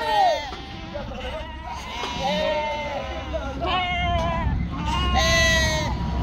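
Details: Bleating sheep at a farm in northern Spain, long quavering calls rising and falling, three or four distinct bleats overlapping with steady human speech in the background.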